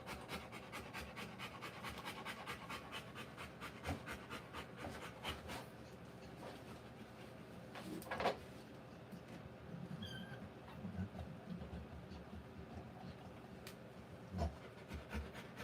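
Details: Rottweiler in labour giving birth to puppies, faint quick breathy panting in rough bursts under a steady background hiss, with a couple of sharper knocks near the middle and the end.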